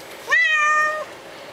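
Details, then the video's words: A dirty kitty resisting a bath lets out one steady, flat, drawn-out meow under a constant background hiss. "Cats Saying "No" to Bath"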